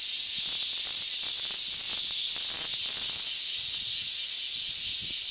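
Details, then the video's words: Cicadas in a Tokyo town, Japan, on 3 August 2021 in summer, a mix of Black Giant, Large Brown, Mingming and Kempfer cicadas: a dense, steady, high-pitched hissing buzz that never pauses, with faint pulsing throughout. "Cicadas in Tokyo Japan (Town with many cicadas)"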